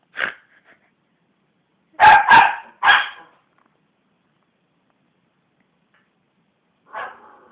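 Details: Belle the West Highland White Terrier barks at hands bashing on a sofa indoors: a single bark, then a quick burst of three sharp barks, a long silence and one final softer bark.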